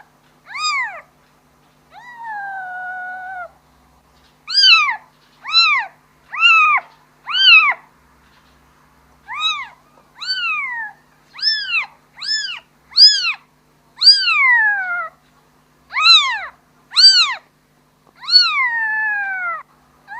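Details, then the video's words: Kitten calling its mother: a run of about fourteen high, arched meows, mostly short and clipped, a few drawn out and falling, spaced irregularly with brief silences; clean, quiet background. "Suara anak kucing memanggil ibu nya"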